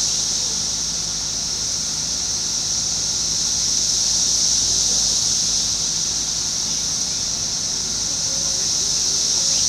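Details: Brood X periodical cicadas, the 17-year emergence, chorusing in a residential neighbourhood beside woods in Fairfield, Ohio, June 5, 2021; an unbroken shrill hissing wall of sound holds steady throughout, with a distant low hum underneath.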